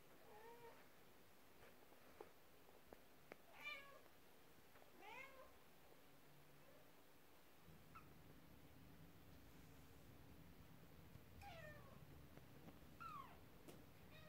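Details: Household cats, a mother upset while kittens play with a toy horse carriage; soft, fairly faint high meows come in small clusters, with a low steady hum rising in the second half.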